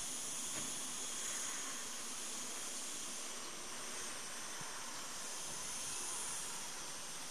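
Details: Cicadas singing a steady, hissing, high-pitched drone without a break on the morning of 26 August 2012 at Cortijos de Marín, Almería; some are feeding on agave sap.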